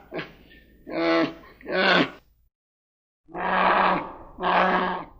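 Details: Spectacled bear of Argentina giving deep, rough, voiced roaring growls. Three bursts come in quick succession, then a pause, then two longer, harsher bellows, each lasting under a second.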